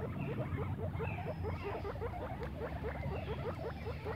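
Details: Several guinea pigs out playing in grass make rapid, repeated short squeaky notes, each hooked and closely spaced in an even chattering run, over a low background hum.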